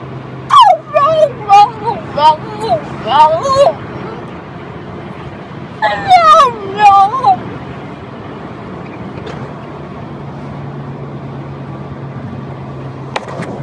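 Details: A small French Bulldog 'talking': two bursts of rapid, wavering whines and yips that rise and fall in pitch like chatter, each lasting about three seconds, separated by a quiet pause.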